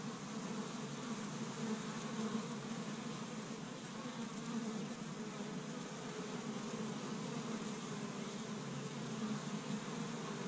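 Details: Busy honey bees at an established hive on the first warm spring day in Michigan, gathering pollen from tree buds; a thick, constant low buzz of many bees, rising and falling gently in loudness.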